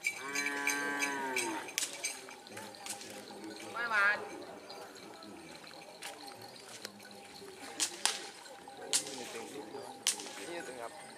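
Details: Madura cattle at karapan sapi racing practice, Pamekasan, East Java; a short moo opens, then a wavering rising cry, with people talking and clattering noises through the rest.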